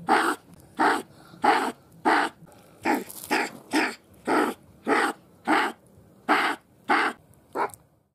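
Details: Sable, Martes zibellina: a steady series of about a dozen short, harsh, hoarse barks, roughly one every two-thirds of a second, each abrupt and breathy, with quiet pauses between.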